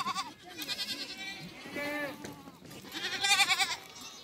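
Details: Goats at a meeting of a mother goat and her kid, giving quavering, wavering bleats in two bouts, one near the middle and a louder one toward the end, with faint human voices in the background.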